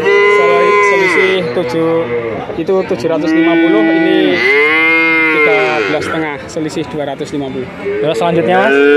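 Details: Male calves at a cattle sale in Grabag, Magelang, nineteen bought at once: overlapping moos with rising-and-falling arched tones, one after another almost without pause, one calf calling over another. Human voices murmur underneath.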